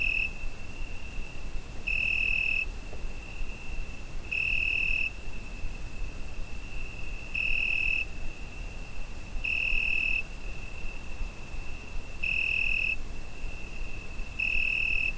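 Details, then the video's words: Cricket singing on a summer night, Zoom H5 recording: an unbroken shrill whistle-like trill punctuated by six louder pulses, each under a second, coming regularly about every two and a half seconds, with light background hiss. "Summer Night Cricket Sound Effect"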